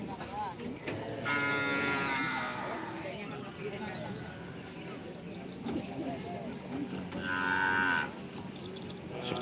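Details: Cattle at a karapan sapi bull-racing event in Pamekasan, Madura, Indonesia; two moderate, tonal moos several seconds apart, the second ending in a brief rise, over a background of voices and general crowd noise.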